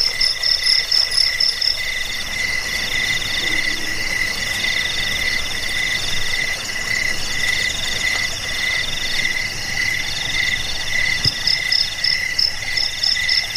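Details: Steady shrill cricket trilling, offered for repelling rats, easing sleeplessness and teaching songbirds; continuous high ringing bands with softer pulsing chirps, a faint low thump near the end.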